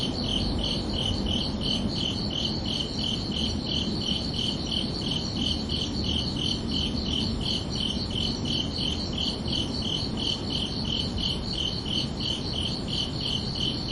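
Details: Night chorus of crickets on a summer evening, two high chirping voices pulsing steadily and evenly, roughly two to three beats a second, with a soft continuous background hiss below.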